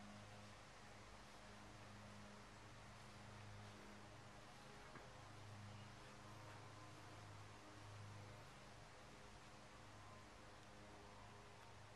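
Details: Steady faint hiss with a low engine-like hum and light rustling throughout, and no animal calls.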